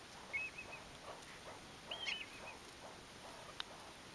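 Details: Foraging meerkats give a few soft, high-pitched chirps, each short and slightly wavering and spaced well apart, with only a low outdoor hiss between the calls.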